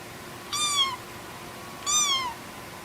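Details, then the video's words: Cat meowing, likely kitten or cat from a compilation: two high, harmonic meows, each slightly falling in pitch and about half a second long, spaced roughly 1.3 seconds apart over a faint steady background hiss. "Мяуканье котят,кошек, кота мяуканье Сборник HD. Kittens meowing,cats meowing Compilation HD."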